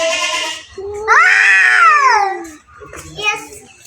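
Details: Two domestic cats in a fight, one long wavering yowl that swells and then sinks in pitch, preceded by a breathy hiss and followed by softer growling mews.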